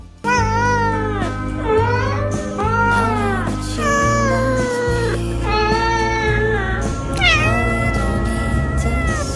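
A Siamese cat lets out loud, drawn-out yowls that rise and sag in pitch, far harsher and more insistent than a simple meow. Music plays steadily underneath throughout.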